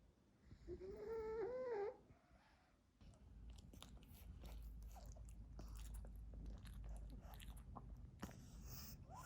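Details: Pekingese dog eating treats indoors: a brief wavering, whiny nasal tone at first, then a long run of crisp, irregular crunching and clicking chews over a low background hum.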